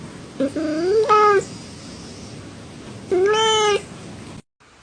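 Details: Cat giving two drawn-out meows about two seconds apart, the first starting low and rising, the second steady and bright with many harmonics, followed by quiet room hiss.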